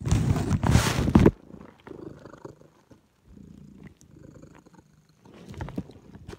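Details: Pet cat purring during her afternoon nap in a suburban home. The purr is a low, soft rumble pulsing in steady breaths, about two or three each second. A loud rustling burst comes first, with faint clicks and small noises throughout.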